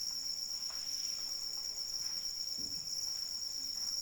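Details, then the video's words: Rain-soaked night ambience dominated by a piercing, sustained cricket trill, with rain hiss beneath and a brief low thump near the middle. "Suara Hujan dan Jangkrik Pengantar Tidur"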